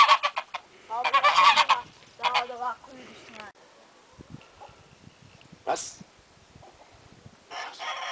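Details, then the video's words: Kangal puppies from Ülkü's litter let out loud, strained yelps in quick bursts during the first few seconds. Quieter squeaks and a brief rustle follow in the pause. "Ülkü'nün Sevimli Enikleri ( kangal )"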